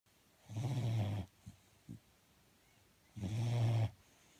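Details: Sleeping dog snoring: two long, low rasping breaths about three seconds apart, each lasting under a second, with faint snuffles between them in a quiet room.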